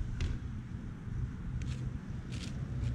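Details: Low outdoor rumble like distant traffic, with a few soft footsteps or taps and no animal voice.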